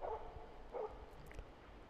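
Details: Aged Jämthund moose-hunting dog in autumn 2009 in southern Central Finland gives two loud, full barks about a second apart, steadily baying a moose in a thicket about 400 m off while drawing it toward a clear shooting line.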